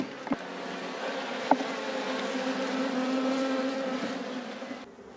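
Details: Steady droning hum of a honey bee colony in an apiary at peak production, low sustained buzz with a few clicks and knocks from hive handling, fading out at the end.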